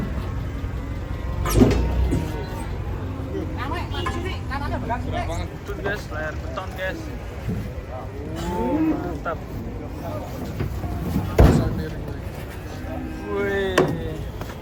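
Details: Large cattle unloaded from a truck, a drawn-out low moo partly buried under constant shouting and chatter from the crowd, with thumps and engine rumble throughout.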